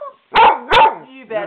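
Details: Two quick barks from Skooter, a mouthy pet dog talking back to his owner, followed by a short, tonal, whining vocal sound.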